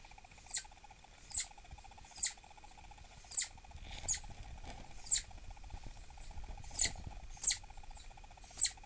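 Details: Captive pregnant female southern flying squirrel, agitated and refusing treats, calling in an indoor enclosure around 6 pm: short high chirps repeated roughly once a second over a steady low hum.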